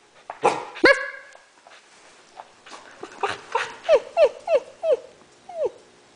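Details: Three 7-week-old male Alaskan malamute puppies playing in a garage give a run of high, whiny yips that arch up and then fall.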